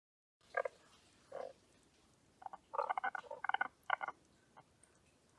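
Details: Tago's brown frog held at an aquarium, giving short low pulsed croaks: two single bursts, then a quick cluster of rattling, stuttered notes, against a quiet background.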